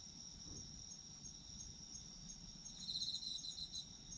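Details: Autumn insects in a night chorus for sleep listening: continuous high-pitched ringing trills, joined near the end by a louder burst of fast pulsed chirping, with faint low background noise.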